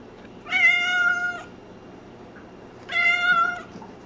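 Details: Loud, long meows from Cassidy, a chatty pet cat: two strong, even-toned calls about a second long, separated by a two-second pause, over faint room noise.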